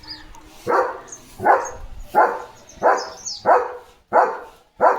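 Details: Leo the German Shepherd barks and dances in front of the gate at passing sheep, giving seven strong barks in a steady rhythm about every 0.7 seconds, with faint high sounds in the background.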